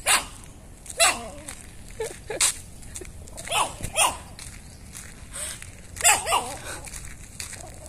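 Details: Chihuahua, a visiting neighbour's dog, barking when it sees the household; short sharp yaps scattered irregularly, some in quick pairs, over faint background noise.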